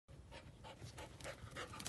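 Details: Male beagle-type dog of about five years, a shelter dog since puppyhood, somewhat overweight, panting quickly in short breathy puffs.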